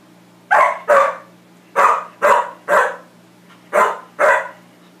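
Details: Max, a dog, barking at his own reflection: seven sharp, loud barks in pairs and a triple, each short and harsh, spaced about half a second apart within groups, over a steady low hum.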